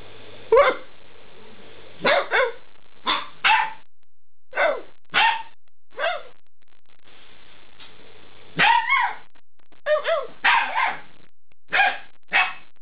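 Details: Alaskan Malamute puppies, eight weeks old, talking back while being spoken to: a long series of sharp yaps and short howly barks, single or paired, a low hum in the background.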